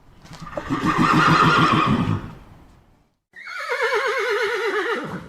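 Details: A wild North American mustang gives a rough, throaty blast for about two seconds, then after a short pause a high, quavering whinny that trembles and slides downward.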